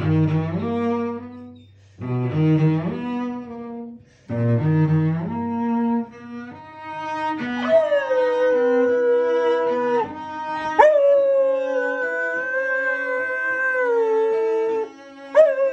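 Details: Standard Poodle singing along with cello practice of Brahms' Cello Sonata in E minor: deep bowed cello phrases open, then a long, wavering, howl-like tone slides and sustains above the cello, swelling and falling over several seconds.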